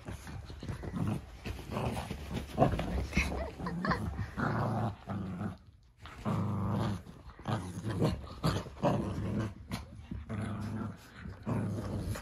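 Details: Cavalier King Charles Spaniel puppies, fourteen from three litters, romping with the zoomies on a giant dog bed in a living room one morning. Low, rough growls and scuffling run almost continuously with a brief lull near six seconds.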